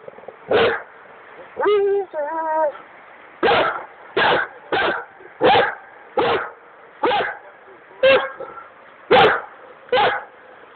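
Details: Dogo Argentino on a duck hunt by the Drina River in the Republic of Srpska, Bosnia and Herzegovina, barking in loud, short bursts repeated about every second, with a brief whining, quavering call early on and steady background noise.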